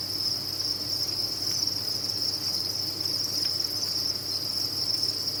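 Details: A cricket farm's many crickets keep up one continuous high, ringing trill, even and uninterrupted throughout, with a soft low hum underneath.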